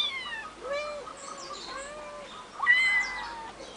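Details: On a finca, three kittens aged eight weeks (11 May 2011) utter clear, drawn-out meows. Each one arches up and then falls, with a sharper, louder cry near the end.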